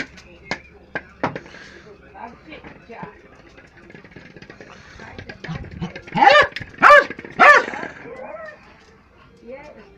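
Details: Jack Russell Terrier playing football, giving three sharp, loud barks in quick succession near the end, after quieter stretches of scattered clicks, knocks and faint background noise.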